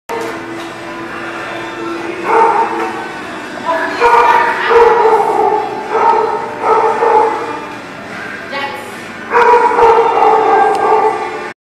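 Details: Dogs at The Barking Lot barking in bursts, the voiced yaps stacked with bright harmonics and clustered into loud runs around four, seven and ten seconds, over a steady hum and some human speech.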